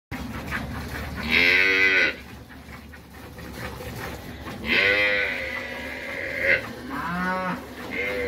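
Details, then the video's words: Dairy cows in El Salvador low repeatedly: two long harmonic moos around 1.5 and 5 seconds, a shorter one near 6.5 seconds and another starting at the end, over steady farm background noise. "vacas lecheras"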